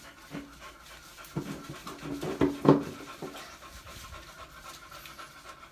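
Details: Loud, close panting from a beagle, hurried breathy bursts with a couple of short low whine-like tones in the middle.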